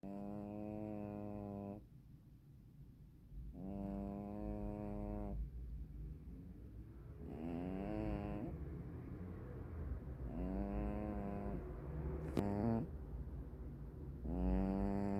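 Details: A sleeping black-and-white hachiware cat snores loudly: tonal, buzzy, horn-like snores with a steady low pitch, each lasting one to two seconds. They repeat about every three and a half seconds, with a quiet low rumble between breaths.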